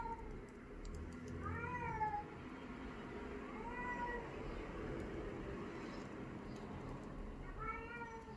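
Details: A male domestic cat howling indoors, seemingly for want of attention: three drawn-out, rising-then-falling wails spaced several seconds apart over a steady background hiss.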